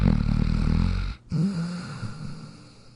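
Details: Jack, a dog asleep in his dog bed, snoring: a loud, low, rumbling snore for about a second, a brief silent gap, then a softer, drawn-out snuffling breath that slowly fades.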